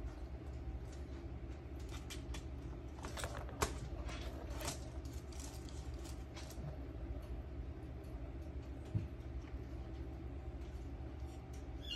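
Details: A steady low hum runs throughout, with scattered metallic clicks and jangling taps clustered in the first half; no animal voice can be picked out.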